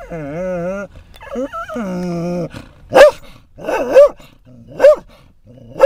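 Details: Scottish Terrier at a rest stop on I-10 in Florida, reacting to other dogs nearby: long wavering high whines for over two seconds, then four sharp yelping barks about one second apart.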